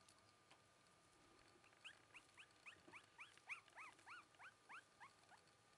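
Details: Young black Shiba Inu bitch puppy, filmed in April 2011 at about three weeks old, uttering a fast string of about a dozen thin rising squeals, roughly three per second, growing slightly louder then easing.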